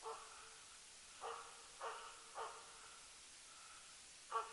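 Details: Elk hunting with the Jämthund Rapp, a loose-running hunting dog, in 2012. Five distant barks sound at uneven gaps of about half a second to two seconds, each clipped and ringing, with steady background hiss between them.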